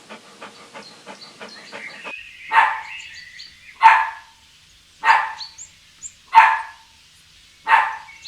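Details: Puppy playing outdoors on green grass, giving five loud, sharp barks about every 1.3 seconds after a stretch of faint clicking and chirping, with soft bird calls in the background.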